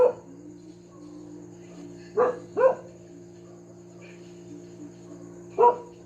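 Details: Household dog barking over and over: an opening bark, two quick barks close together near the middle, then a single bark at the end, separated by pauses, with a constant low hum underneath.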